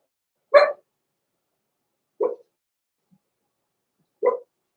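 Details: Blenheim Cavalier King Charles Spaniel puppies Roman and Blue, born November 14, 2022, in a home puppy pen at Christmas time: three short, sharp single barks spaced about two seconds apart in an otherwise quiet room.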